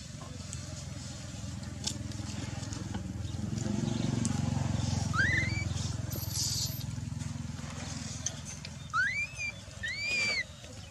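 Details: Dalton, a baby macaque left on the ground by his uncaring mother Dolly, gives a brief rising squeal, then after a loud rumbling stretch two more whistled, arching cries close together near the end.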